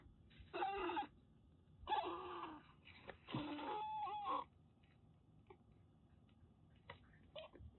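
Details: Rescued former stray Siamese mix kitten named Daichi in Kagoshima, Japan, at bath time: three loud, strained meows in the first half, then quiet with a few soft clicks and rustles.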